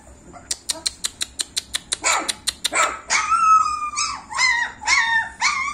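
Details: German Shepherd puppies, 26 days old, give a run of sharp rapid clicks, then high, rising-and-falling whimpers and yelps that come in several wavering bursts over the last three seconds.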